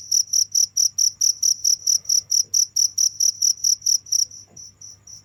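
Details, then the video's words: Cricket chirping steadily, a high pulsed trill repeated about four times a second, loud and even for four seconds before fading to softer, distant chirps; faint low hum underneath. "without stopping the sound of crickets for 15 minutes"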